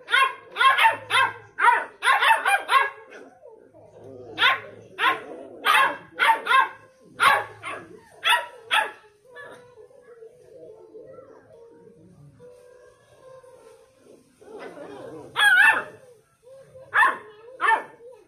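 Beagle puppies bark back and forth in quick, sharp, high-pitched bursts.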